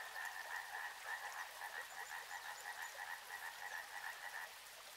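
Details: Frogs calling together by a river: a continuous rapid, pulsed croaking chorus, each note blending into the next, over soft running-water noise.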